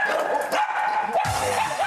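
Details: Dachshund named Ttube, a dog known for excessive barking, heard loudly through the door of its house as visitors arrive; continuous high yapping barks overlap into a dense, unbroken stream with a sharper burst near the end.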